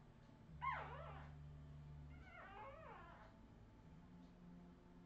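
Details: Redwing Australian Terrier puppies, 2018, whimpering: a sharp high yelp sliding downward, followed about two seconds later by a longer quavering whine, over a low steady hum.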